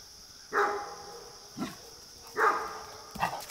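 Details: Deep, rough barks from a Great Dane reacting to deer in the neighbourhood, two strong barks about two seconds apart with softer short sounds between them.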